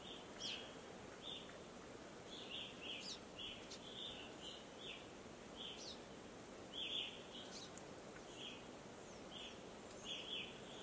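An American red squirrel gives short, high chirping calls at an uneven pace.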